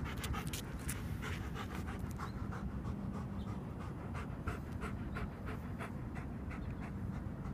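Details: Panting German Shepherd during a training session: fast, even, breathy puffs repeated throughout, with a steady low-frequency rumble underneath.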